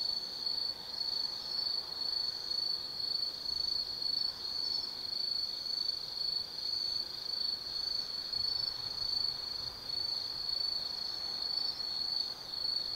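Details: Autumn insects singing at night in the forest of Tsukimi no Mori, Kaizu, Gifu, Japan, on a lookout 180 m above the Nobi Plain: a steady, high, shimmering trill with slight pulsing throughout, over a soft hiss.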